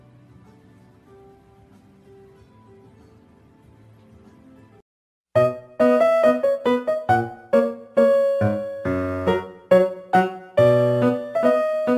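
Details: Quiet background hum gives way to a brief silence, then loud, bright keyboard music with plucked notes, with no animal sounds.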